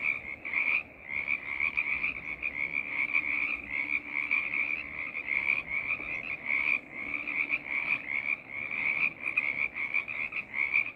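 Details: Frog choir: a dense, continuous chorus of many overlapping high-pitched croaks that pulse steadily without pause, with a softer lower layer of calls beneath.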